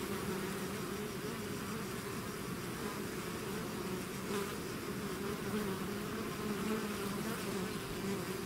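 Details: Bees swarming out of their hive make an unbroken, thick buzzing hum, steady in loudness throughout, its low droning tones shimmering as nearby insects shift closer and farther.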